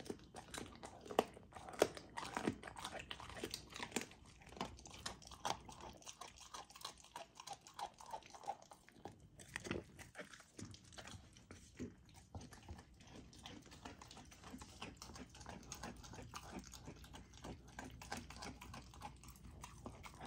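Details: Young female Golden Retriever chewing frozen raw dog food in a small room, crunching and biting in irregular bursts about one and a half per second, with slimy slurps and a brief quieter pause near the middle.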